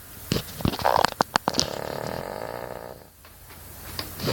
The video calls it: cavalier king charles spaniel aka Betty snoring her head off